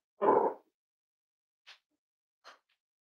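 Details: One full, rough bark from a Cavalier King Charles Spaniel at Red Barn Cavaliers on a chilly Thursday morning, followed by two faint, brief higher squeaks in a quiet room.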